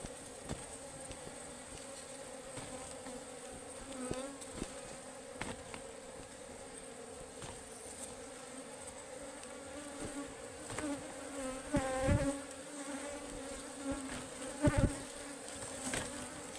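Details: Forest beehive of wild honeybees being harvested: a constant droning hum with wavering, rising and falling overtones in the middle, plus repeated clacks and knocks from the work at the hive.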